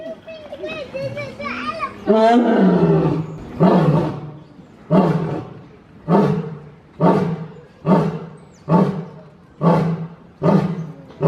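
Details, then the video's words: Lion roaring in the wild: a drawn-out moaning opening call, then a steady series of about nine deep, grunting pulses spaced under a second apart, each falling off before the next. "The amazing lion roar sound compilation in wildlife"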